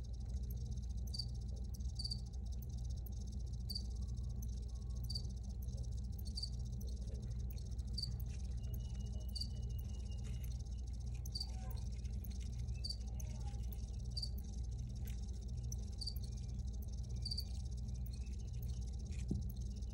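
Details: Crickets chirping outdoors: short high-pitched chirps repeated steadily about every three-quarters of a second, over a constant low rumbling hum.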